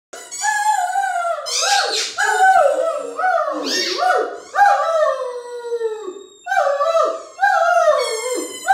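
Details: A Great Dane howls with delight in long, wavering, sing-song howls that rise and fall each time he squeaks his favourite, newly found old toy ball.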